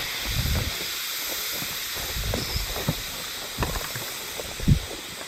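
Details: Hime-harusemi cicadas singing on 19 July 2022 in Yamaguchi Prefecture, Japan, heard but not seen; a steady, dense high hiss of many callers in chorus, with soft low thumps and rustles underneath.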